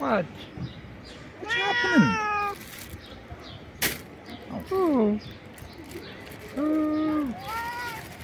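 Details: Loud screams of a stray cat excited by food: a long harmonic meow, a sharp click, then several shorter falling and arched meows, with a human voice mixed in.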